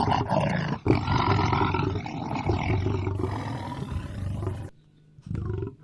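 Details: Lion producing a long, low rumbling roar with rough, grainy texture, fading into near silence before a final short grunt.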